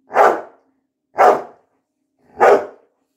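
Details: Labrador Retriever barking: three loud, broad, harsh barks about one second apart, each short and clipped, with silence between them.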